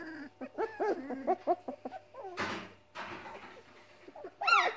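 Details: Seven hungry Weimaraner puppies (four female, three male), whose mother won't feed them, moan and whine in wavering tones, broken by short yips and a rough growl.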